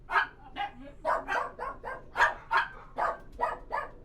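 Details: Dogs barking inside a kennel, sharp barks following one another roughly every half second, several voices overlapping at slightly different pitches.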